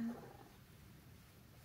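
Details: Pon, a rescued middle-aged pet cat kept for nearly six years, complains while being massaged indoors: one short, low, murmured grumble with soft harmonics, fading quickly into quiet room tone.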